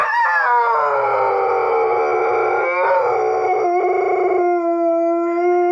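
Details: Catahoula Leopard Dog Addie howling as she hears her own recording on a laptop; dense, layered howls overlap throughout, with a brief break near the third second, ending on a flat, sustained tone.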